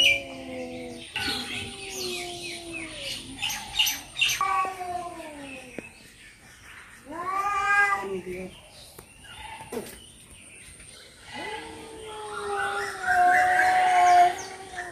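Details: Two cats fighting in Noldanga village, a rural natural recording: long drawn-out harmonic yowls, several sliding downward, trading back and forth with rougher wailing bursts and short breaks of quiet between outbursts.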